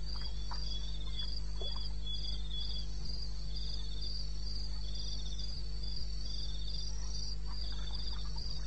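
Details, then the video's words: Night chorus of crickets in eastern Botswana wilderness, recorded at 2:30 AM on 21 May 2016: shrill pulsed trills in short bursts, two pitch layers interleaving, with a steady low drone beneath. "1 Hour cricket sound"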